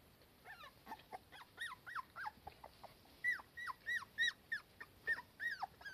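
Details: Cardigan Welsh Corgi mother and daughter in warm sunshine, the young one uneasy without her mother close by; a steady run of high, falling whimpers and yips repeated rapidly over quiet background.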